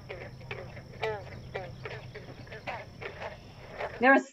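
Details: Several green frogs calling together at vernal pools in Lincoln, Massachusetts, each note a short twangy pluck like a loose guitar string, repeating about twice a second.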